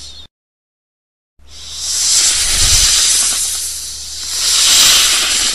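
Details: A brief silence, then a snake lets out sustained hissing, airy and rasping, growing louder in two slow waves, with a low hum faintly in the background.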